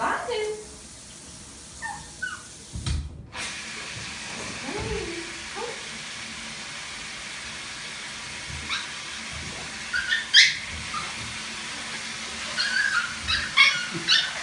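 A teacup poodle gives short, high whimpers, asking to be bathed, with soft voices and household noise.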